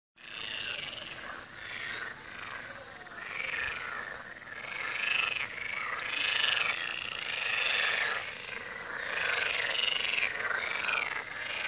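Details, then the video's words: Frogs calling by the Tywa river: a dense, continuous chorus of overlapping rattling croaks, swelling in loudness after the first few seconds, with no other clear sounds. "Odgłosy żab nad Tywą"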